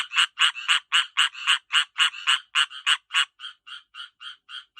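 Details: Tree frogs getting ready to breed give loud rasping croaks in quick succession, about four per second, loud at first and then softer as the chorus thins near the end.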